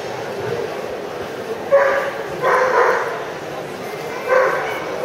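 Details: Azawakh sighthounds at the 2014 Championnat de France SCC dog show in Angers: a few short, harmonic barks break out in bursts over steady hall chatter and crowd noise.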